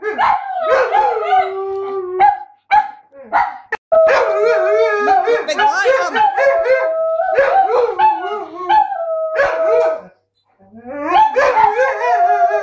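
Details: German Shepherd cross Husky howling in long, wavering tones that slide up and down, mixed with short barks and yelps, with brief silent pauses in between.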